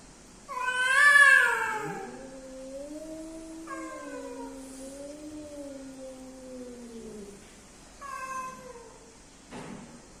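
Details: Male and female cats meeting to mate, one loud rising screech followed by long low wavering moans that sink gradually, short higher yowls breaking in twice, and a brief click near the end.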